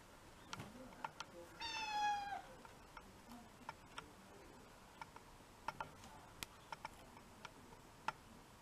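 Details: House cat giving a single short, falling meow early on, followed by quiet stretches punctuated by scattered sharp clicks.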